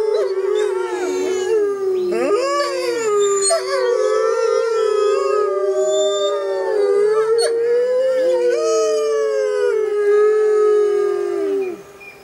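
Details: Wild grey wolves howling together in jungle under a full moon: a loud chorus of many overlapping howls, some holding steady tones while others swoop and slide up and down, continuing for about eleven seconds before fading.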